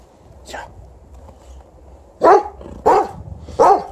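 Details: Golden Retriever barking in anger because he is not allowed to eat bread: quiet room, then three loud, short, rough barks spaced about 0.7 seconds apart.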